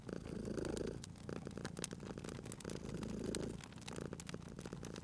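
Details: Cute cat purring at a crackling fireplace: a deep, throbbing purr pulses in two clear waves, each roughly a second long, with bright clicks and pops of firewood scattered throughout.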